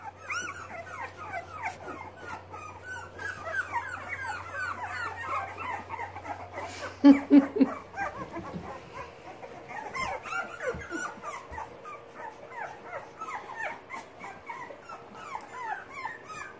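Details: A litter of Boxer puppies practising with legs and paws, a busy overlapping stream of short high whimpers and squeaks from many pups, a brief louder yelp midway, a low hum fading out after eight seconds.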